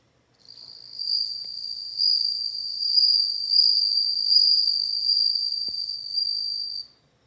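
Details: Bell cricket singing a sustained, bright, tinkling trill at one high pitch, rising in loudness after a short soft start, pulsing slightly in intensity for about six seconds, then cutting off; a single faint click partway through.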